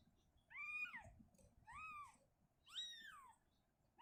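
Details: Shizuka, a mother cat, uncomfortable living in a cabinet, moves her kitten back to an open area indoors; three clear, arching meows, each rising then falling, about one per second, over a low room hum.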